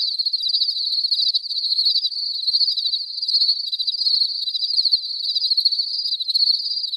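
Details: Pure cricket chirping with no background noise: continuous high, buzzy pulsed trills, gently swelling and fading in loudness as overlapping chirps run on without a break.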